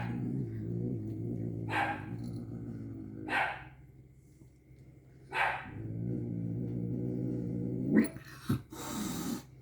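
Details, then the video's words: Angry pet cat taking medicine gel, producing sustained low droning growls in three long stretches separated by short breathy hisses or smacks, ending with clicking mouth sounds. "Angry cat make fun noise when eating medicine gel"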